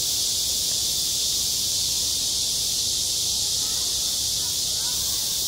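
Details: Cicadas singing on a school playground in high summer: a dense, unbroken hissing buzz fills the upper register at an even loudness throughout, with no other clear sounds.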